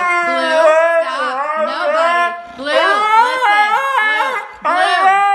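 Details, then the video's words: Siberian Husky Blu throwing a tantrum while being scolded for getting into the trash: loud wavering howl-like yowls with rising and falling pitch in two long bursts and a short third one, a person's scolding voice mixed in. "Husky Tantrum - Blu gets into trash"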